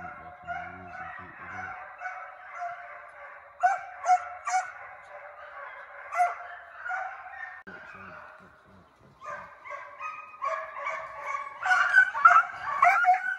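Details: Pack of hound pups running coyotes in a fox pen, giving sustained overlapping bays and barks that swell louder toward the end, with a brief low human voice near the start and middle.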